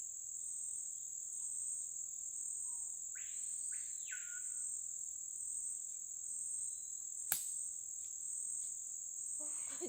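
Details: Cicada in the Amazon rainforest at Lago Amanã, Brazil, near a riverside community: a steady, unbroken high shrill drone throughout, with a brief arched bird note near the middle and a sharp click later.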